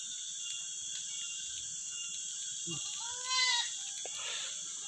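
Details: Etawah goat kept on a livestock farm, giving one short, wavering bleat with a clear stack of harmonics that rises then falls over about half a second, over a steady high hiss and faint background noise.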